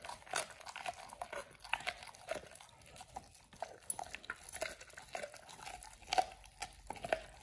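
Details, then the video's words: Oliang the pit bull chews a raw ostrich paw for the first time, a raw-fed snack for teeth polishing and jaw exercise; irregular crisp crunches and wet bites about once a second in a small quiet room. "Oliang the Pit Bull 1st time eats Raw Ostrich PAW [ASMR] BARF | MUKBANG 動物の咀嚼音 | 犬が生の肉を食べる"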